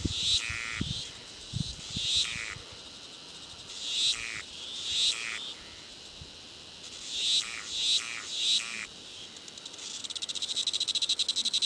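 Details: White drummer cicada, a 41 mm insect from Australia, producing loud high buzzy bursts about a second long, repeated irregularly in clusters with quiet gaps, ending in a sustained rapid pulsing buzz.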